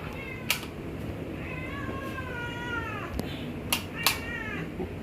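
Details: A domestic cat gives two long, drawn-out meows, the first wavering and falling over more than a second, the second shorter, with sharp knocks and clicks between; it keeps crying even after being fed wet food.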